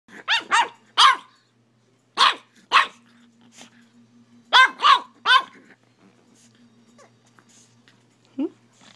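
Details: Pet puppy barking at its owner, who holds a phone to take pictures: sharp barks in pairs and quick bursts, seven in about five seconds, then quiet with a faint hum and a short soft yelp.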